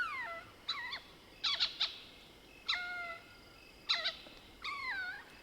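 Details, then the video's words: At night in the African bush of South Africa's Soutpansberg, a Mohol's bushbaby mixes gliding mewing squeaks with short sharp clicking chatter bursts, calls coming in quick irregular succession. "Lesser Bushbaby Calls - Cute squeaks & sounds of a Bush Baby calling at night"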